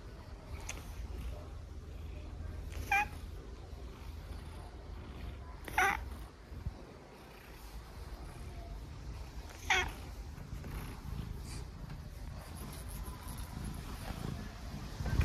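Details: Stitch, a pet cat, gently meeps at his owner indoors: three short chirpy calls spaced a few seconds apart, around the three-, six- and ten-second marks, over quiet room hum.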